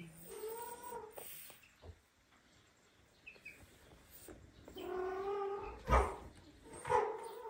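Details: Domestic cat family, tiny kittens with their huge daddy cat who cares for them like a mother; drawn-out harmonic meows near the start and a louder run of meows after a quiet gap, with soft thumps.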